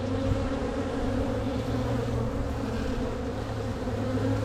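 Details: Strong spring honey bee colony opened for a walk-away split, queen cells showing on the frames; dense continuous hum with steady low harmonic bands throughout, no breaks.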